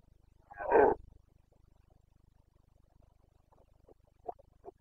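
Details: Carpathian red deer stag roaring during the breeding season (rut), Bucovina, Romania, 29 September 2022: one loud, hoarse, broadband bellow near the start, then a few faint, short grunting calls toward the end.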